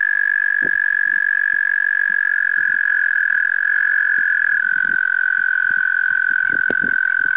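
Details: A male American toad (Anaxyrus americanus) calls in spring 2015 in New York: a long, steady, high musical trill that holds one pitch without a break.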